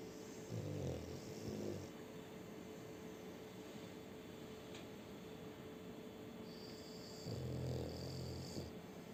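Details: French Bulldog named Shturm snoring with a new ball he took from children outside. Two low, rumbling snore bursts, each about a second long, come near the start and near the end, separated by quiet steady background hum.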